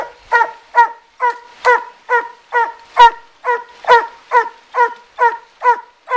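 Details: Coonhound treeing a raccoon in a den tree beside a river in Taylor County, Kentucky; steady loud chopped barks repeated roughly every half second, evenly spaced, each harsh and ringing.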